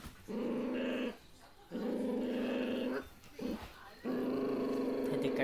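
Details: Young puppies make steady, droning growls in four drawn-out bursts separated by brief pauses, with faint human voices in the background.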